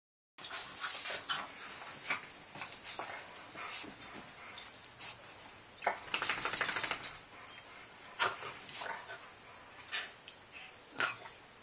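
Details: Small Yorkshire Terrier kept as a pet, indoors, trying to get a rabbit to play like a dog; short sharp yaps and scrabbling clicks scattered through, with a brief louder burst midway and a person quietly speaking.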